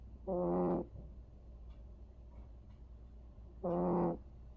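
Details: Sleeping cat Vere snores, giving two buzzy, low harmonic snorts about three seconds apart, each under a second long, against a quiet room hum.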